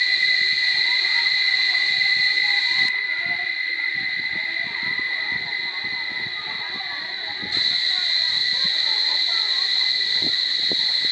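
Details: Chorus of cicadas at Barichara holding a continuous high buzzing whine that dips briefly in strength midway, while scattered low clicks and murmuring voices sound beneath it.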